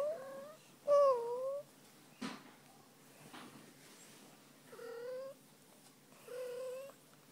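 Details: Female domestic cat meowing indoors while getting a tummy rub: four short tonal meows, each dipping then rising, with the strongest near the start, plus one sharp click between calls.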